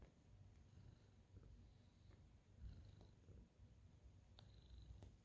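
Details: Senior tabby cat happily kneading and purring in greeting; deep pulsing purr, rising and falling with each breath, plus faint clicks and a few soft high squeaks.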